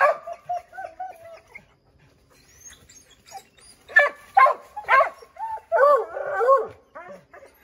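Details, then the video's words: Redbone Coonhounds chasing a chipmunk up an oak tree, barking and howling to flush it out; quieter start with short yelping notes, then louder clustered barks and a brief baying chorus. "Redbone Coonhounds Tree a Chipmunk"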